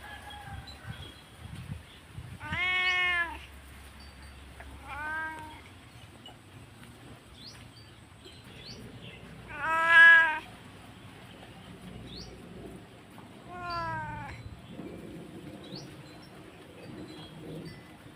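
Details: House cat left briefly while its owner picked up a delivery keeps crying loudly; four wavering meows spaced several seconds apart, the loudest around the middle, with quiet chirps and low rumbling between.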